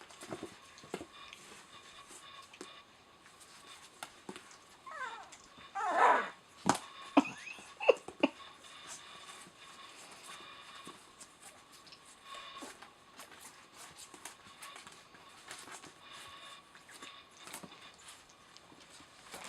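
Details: Puppies from Rosalie's litter at eleven days old, eyes newly opened: one pup lets out a loud drawn-out whine that slides downward, followed by a few short yelps, over soft rustling and movement indoors.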